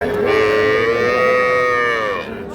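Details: Cattle at Ambari cattle market in Parbatipur, Dinajpur, where young bulls and heifer calves are sold; one long, loud, drawn-out moo lasting about two seconds, rising slightly then holding a steady rich tone before fading.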